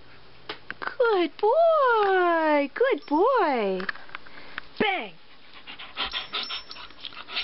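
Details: Turbo, a pet male Siberian Husky speaking on command while performing tricks: long, wavering, harmonic howl-like calls that rise then fall, several drawn-out phrases back to back, then a short sliding yelp, with praise from a man afterward.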